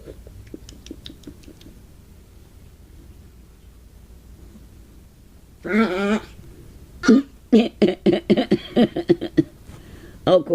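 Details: Pomeranian Gypsy begging for a bowl of soup with green beans and taters, giving a run of high, squealing, dolphin-like yelps and whines in quick bursts after early soft clicks, indoors.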